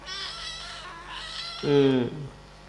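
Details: Kitten during play and feeding time gives a single short rising-falling meow after a stretch of soft indistinct background noise, with a faint trailing note.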